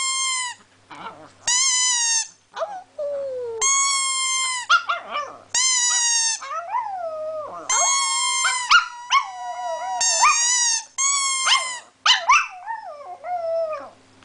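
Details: Chihuahua singing a song, a long series of high sustained howls and wavering, sliding whines, several dipping in pitch, with brief breaths between phrases.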